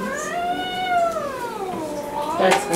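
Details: Domestic cat angry at a home vet examination, being treated for a respiratory infection; one long rising-then-falling yowl lasting over two seconds, followed by a short sharp noise.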